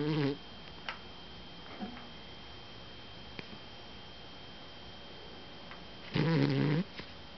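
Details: A female miniature dachshund, lying on her back under a blanket with paws moving, snores in low, buzzy, rumbling bursts separated by long quiet pauses.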